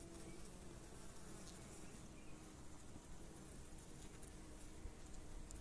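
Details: Nurse honey bees tending and feeding their queen, recorded during the 2022 beekeeping season. A quiet, even, low drone of many bees continues without pause.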